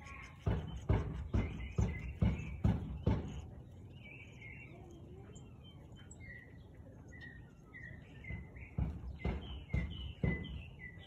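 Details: Siberian Husky barking at 4:17 pm on 13 March 2021: a quick run of six sharp, deep barks about every half second, a pause, then another burst of barks, with small birds chirping steadily in the background.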